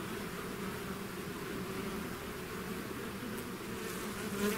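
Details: Bees swarming out of their hive make a thick, continuous buzz, many wings blending into one low humming tone, with a brief louder whine near the end.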